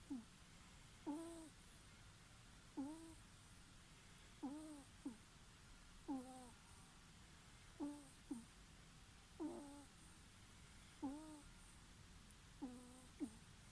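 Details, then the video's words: A ferret snores in a steady rhythm, each breath making a thin falling squeak and a quick second peep, repeating about every one and a half to two seconds for the whole stretch. "いびきをかくフェレット Snoring ferret"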